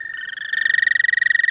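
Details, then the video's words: Short burst of an American toad's mating trill, a rapidly pulsed high musical tone that starts softly and swells louder within a second and a half. "American Toad love song"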